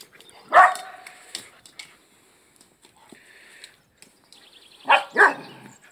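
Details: Frodo, a pet dog, playing with his toy egg: one sharp bark early on, quieter rustling and knocks of play, then two quick barks close together near the end.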